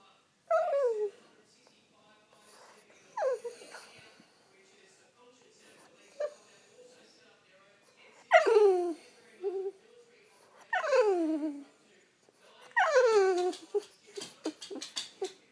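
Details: French Bulldog waking its owner with a series of falling, drawn-out whines and yelps at irregular intervals, growing longer and louder toward the end, with breathing and rustling between calls indoors.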